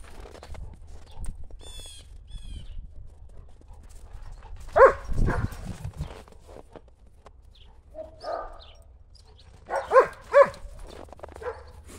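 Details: German Shepherds Buffy and Willow playing chase with a ball in the snow on a cold January day; a few sharp barks, a pair near the end, separated by long quiet stretches with soft rustling.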